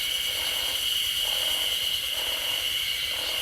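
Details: Chorus of Yezo spring cicadas near a road on the edge of Sapporo, Hokkaido, heard as summer nears: continuous piercing high buzz, overlaid by gentle rhythmic swells roughly twice a second.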